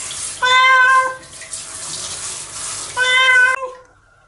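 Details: Nora, a pet cat, cries in protest while being washed in the shower. Two long, loud, drawn-out yowls, each about half a second or more, rise over steady hissing running water.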